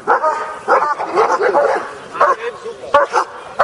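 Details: Kuvasz at a Hungarian breed show with beauty judging, working trial and attack trial, giving harsh, repeated barks in uneven bursts about every half second, with people talking nearby.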